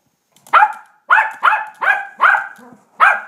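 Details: Suzy, a Yorkshire terrier, at play with a ball, lets out six sharp, high-pitched barks, each clipped and slightly falling, spaced about a third of a second apart, in a quiet room.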